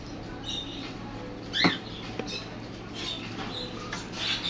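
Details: A sugar glider drinking milk gives a brief, high squeak, followed by a fainter second squeak.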